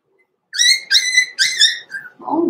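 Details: Blenheim Cavalier King Charles Spaniel puppies, born November 14, 2022, in a small litter, in an overnight puppy pen: a series of high whistled whines, each with stacked harmonics, in four bursts, then a lower rustling sound.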